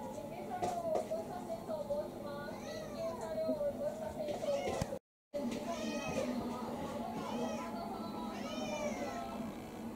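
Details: Kurumi, a roughly five-year-old female tabby-like mixed-breed house cat, eager for dinner and jabbing with her paw indoors, gives a drawn-out wavering meow, then several short arched rising-falling meows, while a person speaks alongside.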